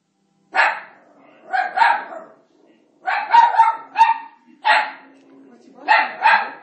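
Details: An Italian Greyhound gives sharp, high barks in short bursts, some doubled, at Moses on the TV during The Ten Commandments, with a person talking nearby.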